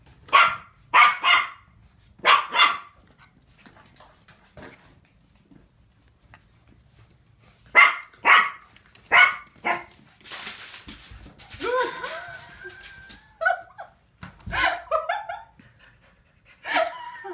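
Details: Playing Finnish Lapphund puppies, seven weeks old, yap in short clusters of sharp high barks, pause, bark again, then break into squeaky rising yips and whines amid scuffling noises.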